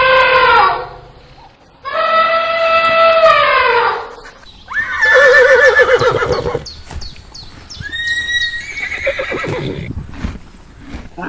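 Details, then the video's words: Horse whinnying: a run of loud neighs, two sustained harmonic calls sliding downward, then quavering, trembling whinnies that drop in pitch and fade, with a steady low hum underneath. "Sounds of wild animals, familiar animals: Elephants, dogs, horses, cows, cats"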